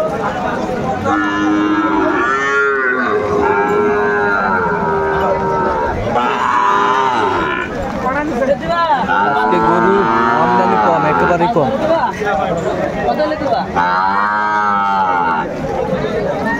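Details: Sahiwal bull, bought by a farmer from Madaripur, Bangladesh, at a cattle market in the rain on 3 September 2024; about four long, drawn-out moos that swell and fall, arching in pitch, with people talking and market chatter underneath.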